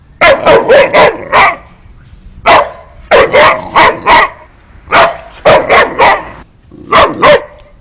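A Boxer dog barks in quick bursts of four or five loud, deep woofs.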